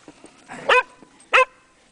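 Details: Two sharp, ringing barks about half a second apart from Megan, a Welsh Springer Spaniel in the snow on Llanllwni Mountain, over a quiet outdoor backdrop.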